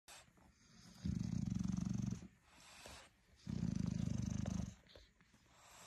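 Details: Mother bulldog standing over her newborn puppies, protecting them while a male bulldog watches, gives two low, pulsing purr-like rumbles, each lasting about a second, separated by a quiet pause with faint background hiss.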